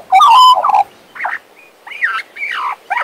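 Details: Pet Western Australian magpie warbling: a loud opening fluted phrase followed by quieter, scratchy, rising-and-falling chortled notes in short bursts.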